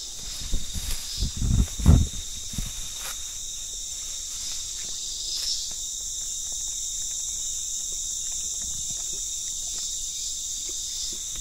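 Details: Cicadas in hot, remote countryside at Brisón, Dominican Republic, near coffee plantations: a continuous high, steady buzz runs throughout, with footsteps and rustling in the first seconds.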